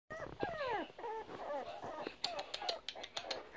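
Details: Rat Terrier puppies, four bi-coloured females aged 4 weeks, giving high whining whimpers that slide downward in the first second, then softer squeaks while a person talks to them in a baby voice.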